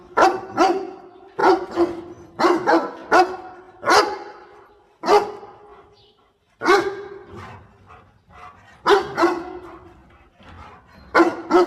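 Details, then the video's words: Dog helping its owner gather water spinach barks repeatedly, loud clipped barks in pairs and triplets with short quiet gaps between groups. "5 Minutes Barking Sound - Smart Dog Heping Owner Picking Water Spinach"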